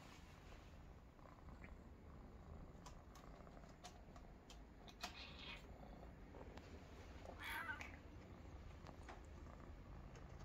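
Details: Young Maine Coon kittens relaxing together in a basket give a soft, steady low purr, with faint rustles and clicks.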